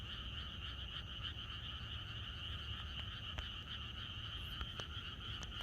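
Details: On a rural night before rain in Korea, a crowd of frogs croaks in chorus, a continuous buzzy drone with quick repeated pulses, occasional sharp ticks, and a low background rumble.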